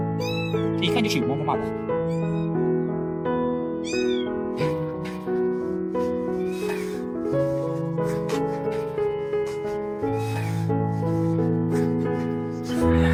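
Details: Tiny white stray kitten, alone and looking for its mother, answering its rescuer with weak meows. Several thin, high meows in the opening seconds, each rising then falling, under music and narration.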